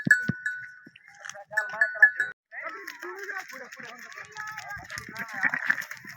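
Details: Goat grazing in Pakistan, giving wavering, nasal bleats in short bursts, with overlapping tremulous calls that build into a longer, continuous stretch of bleating in the second half.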